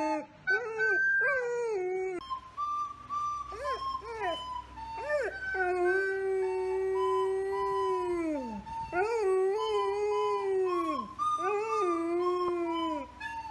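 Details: A 2.5-year-old male golden retriever sings along to recorder tunes, howling in long, wavering tones that rise and fall.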